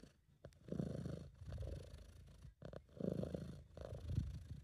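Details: Sabu, a relaxed British Shorthair, purring close to the microphone in an amateur home recording: low throaty rumble pulsing on inhale and exhale, about four breath cycles, with faint clicks between them.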